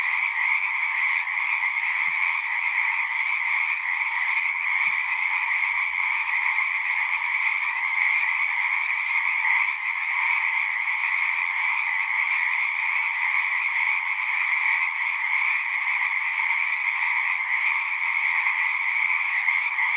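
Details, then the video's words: Frogs in full song in nature, a seamless massed chorus of high trilling with a lower accompanying band, constant in volume, with a few faint low knocks or ticks in the first half. "One hour of singing frogs."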